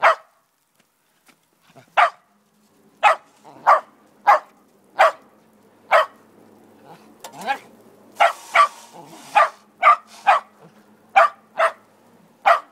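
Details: Snow being shoveled as a male Shetland Sheepdog, angered by the shovel bumping him, barks sharply and irregularly, roughly one bark a second, with faint low scraping and rustling between the barks.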